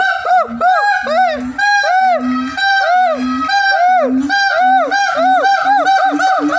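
A siamang gives loud, rapid arched barks, each paired with a deep booming throat note.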